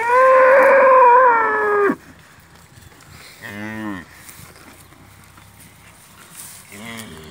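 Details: Domestic cow and calf on a farm after the cow ate its fodder well, while the calf drinks milk from its mother. A loud, high, steady moo of about two seconds, then a shorter wavering moo and a brief third call later.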